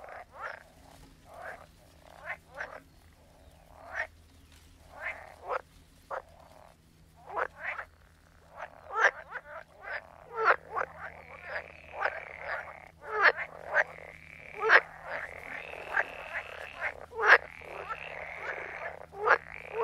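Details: Frog chorus: many short, sharp croaks repeated irregularly, joined midway by a steady, higher trilling drone from other frogs that carries on to the end, over a low background hum.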